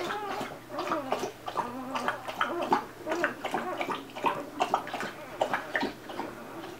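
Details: Several two-day-old Golden Retriever puppies whimpering and squeaking in quick, uneven bursts, short nasal cries tumbling over one another with small grunts and rustling between them.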